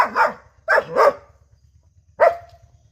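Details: Five-month-old German Shepherd puppy barking indoors: two loud barks close together, then a single bark after a pause, each sharp with a short tail, over a steady low hum.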